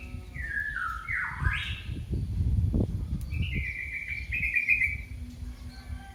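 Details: Kitten calling for its mother: a high cry that falls, dips low, then sweeps sharply upward, followed by a long thin steady wail, over a low rumbling background.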